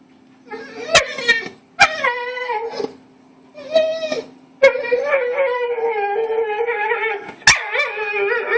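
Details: A dog makes odd, wavering whines and howl-like grumbles at a female Bull Mastiff lying too close to its bone, keeping it up for over five minutes while she calmly ignores it.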